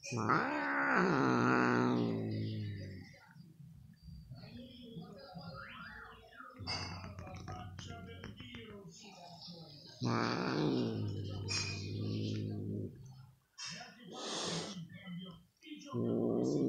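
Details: Two house cats, a mother and her daughter, in front of the TV. The mother, nervous and irritated at being licked, gives drawn-out, wavering low yowls, each several seconds long, separated by quieter gaps with rustling.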